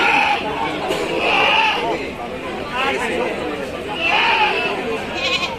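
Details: Goats at the Monday Golakanda livestock market, bleating in a nasal, wavering voice three times over a few seconds, nearly buried under dense crowd chatter and voices of traders.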